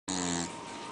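A Pembroke Welsh Corgi gives a single short, voiced, slightly nasal yelp lasting about half a second.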